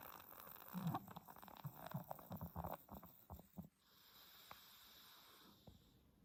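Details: Ten-month-old Pomeranian Stella sleeps indoors and snores, labouring for breath since her reverse sneezing began; a run of quick, snorting, wheezy pulses for almost four seconds gives way to a steady soft hiss.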